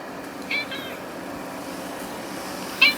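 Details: Stray or community cat, filmed between summer 2016 and winter 2017, gives two short, high meows: one near the start and a sharper, louder one at the end. A steady low hum sits underneath.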